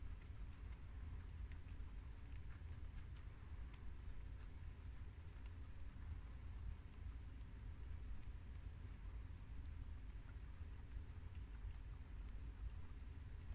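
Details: Four pet guinea pigs, boars Shiro (tri colour American) and Crash (red American) and sows Cookie (long haired mini yak) and Peanut (Abyssinian), eating freshly washed garden romaine lettuce; dense, steady crisp clicking and crunching bites over a low indoor rumble.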